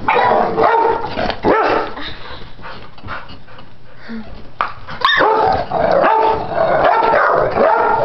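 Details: Pit bulls at play: old Chomper, aged 10, and puppy Stella, 10 weeks, wrestling without fighting. Continuous rough barking and growling fills most of the stretch, easing to a quieter scuffling lull midway before loud, harsh barks resume.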